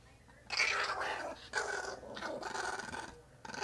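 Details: Pet chihuahua indoors, riled up and making odd noises: rough, breathy growling bursts, each about a second long, separated by short pauses, in a small quiet room.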